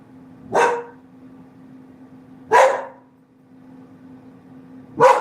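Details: Pet dog at home, barking three times roughly two seconds apart: short, sharp, broad barks over a faint steady low hum in an otherwise quiet room.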